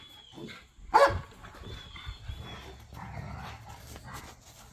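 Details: During rough back-yard play among pit bull dogs and a Malinois, a single loud, sharp bark stands out near the start, followed by quieter scuffling and low grumbling.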